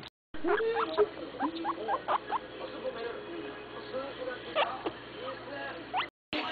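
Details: Guinea pigs giving repeated short squeaks and chirps, some rising and some falling, heard over a steady background hum and murmuring, with a faint voice.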